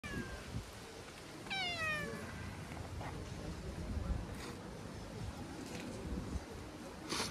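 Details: Stray cats gathered together: one clear meow that falls in pitch and lasts about half a second, with fainter mews and scattered clicks and knocks behind it.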